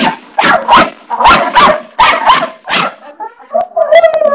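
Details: Pet dog barking at a bathroom doorstopper inside a home, a burst of six or seven loud, harsh barks in quick succession, then a whiny, higher-pitched whimper trailing off at the end.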